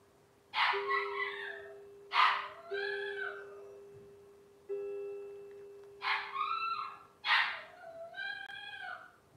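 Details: Robin's Cavalier King Charles Spaniel puppies, a litter on a livestream, give loud harmonic cries that rise then fall, four bursts about every one and a half seconds, over a steady, even background hum.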